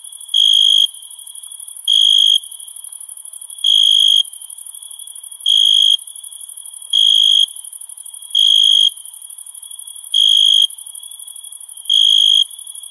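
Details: Crickets chirping at night in summer: bright, pure half-second chirps repeating about every one and a half to two seconds, eight bursts in all, over a steady, shimmering high-pitched drone.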